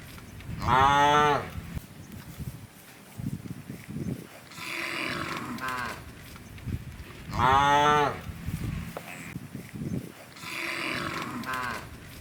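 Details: Hundreds of large, tame cows gathered in rice fields looking for food moo loudly, long harmonic bellows repeating every few seconds, with softer lowing in between.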